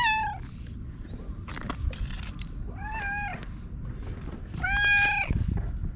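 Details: Orange tabby stray cat meowing while rubbing against a person outside, recorded on a GoPro; three clear arched meows with rich harmonics, the last loudest, over low rumbling background noise.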